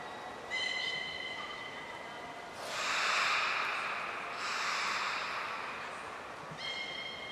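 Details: Belugas Nana, Niko and Mirai during a training session at Port of Nagoya Public Aquarium, 23 February 2023: a short harmonic whistle, a loud breathy rush of noise, then another brief tonal whistle near the end.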